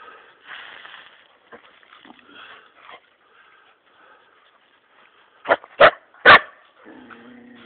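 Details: Laika hunting dogs working a wild boar in a forest give three loud, harsh barks in quick succession while a man urges them on with "take him".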